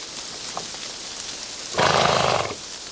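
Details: A Hucul horse, one of a team pulling a wagon on a trip near Lublin, Poland, gives a brief, rough, breathy call over a steady hiss.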